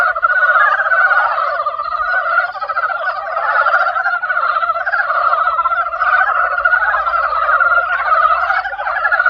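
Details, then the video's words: Frogs in spring: a dense, continuous chorus of overlapping rattling croaks, many callers blending into a steady throbbing wall of sound with no pauses. "개구리소리 the sound of frog broke spring"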